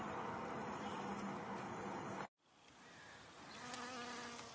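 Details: Western honey bees collecting from flowers hum steadily, a low droning buzz that swells and fades as they fly past.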